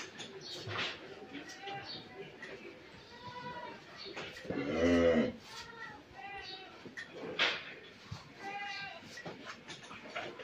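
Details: A pregnant Friesian cow, nine months in calf, at Mrittika Dairy Farm in Pabna, Bangladesh, gives one low, drawn-out moo lasting under a second, with rich harmonics. People talk throughout, before and after it.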